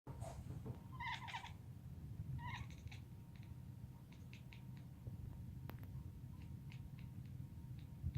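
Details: British Shorthair cat purring quietly in a steady low rumble throughout, with a few brief chirping trills early on, indoors.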